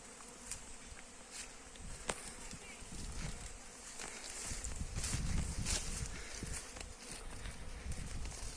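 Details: Many honey bees gathering nectar from mustard flowers in a field, a continuous low buzzing drone that rises and falls, with scattered sharp clicks and a brief louder swell midway.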